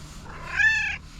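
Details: A domestic cat, angry at another cat, gives one arched, tonal yowl rich in harmonics. It swells to a peak midway and fades after under a second, with a faint low hum behind it.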